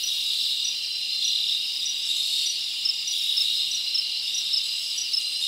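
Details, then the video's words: Crickets chirping at night in a summer forest: a dense, continuous high-pitched shrill band with faint pulsing, many insects overlapping steadily without pauses, no other clear sounds. "Live Crickets Natural Sound"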